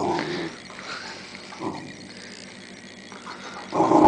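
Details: A Rhodesian Ridgeback puppy at play on Boxing Day gives low, rough growling bursts at the start, near the middle and again at the end, with quieter rustling between.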